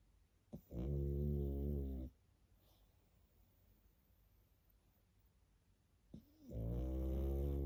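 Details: A pug puppy snores in its sleep, each breath a deep, vibrating rumble over a second long, preceded by a short sharp intake, with a quiet gap of about four seconds between snores.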